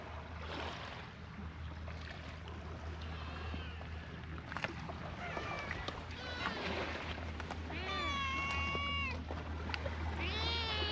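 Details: Stray cats at a fishing port, including a black kitten that bites hard while playing; several drawn-out meows, some long and level, others falling, over a low rumble of boat engines and faint voices.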